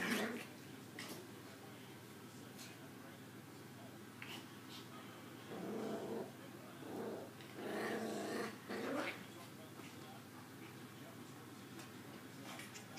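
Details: Maltese puppies roughhousing indoors, two little females with Zoe the instigator; brief growls come in short clusters between quieter stretches of rustling and scuffling.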